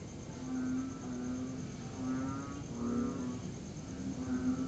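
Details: Tree frogs call during a break in steady rain on a September 2021 night. Short, low, buzzing-toned notes overlap from a few individuals, set against a constant background hiss.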